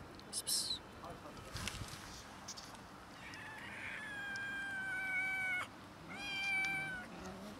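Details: Cats and a kitten quarrelling over food in a small fight; two long, high, strained meows, the first held about two seconds and the second shorter, over a low background hiss.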